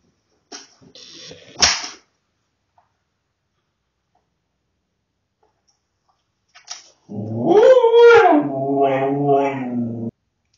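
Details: Kenzi, a cheeky female husky filmed by a home security camera after being caught walking on tables, chewing the coffee table and stealing things, talks back: a rustle and click, then a drawn-out, wavering howl-like yowl that rises and falls for about three seconds.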